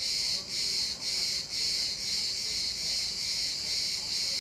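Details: Cicada calling in İzmir: a loud, shrill, high buzzing drone that pulses with brief dips about every half second for the first second and a half, then holds steady without a break.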